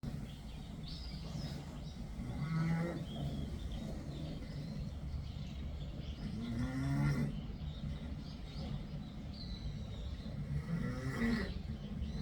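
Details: Sleeping cat snoring, low rasping breaths that swell and fade about every four to five seconds over a steady low room rumble.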